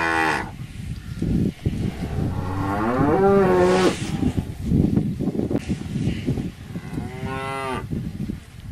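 Cattle lowing: several deep, drawn-out moos that swell and bend in pitch.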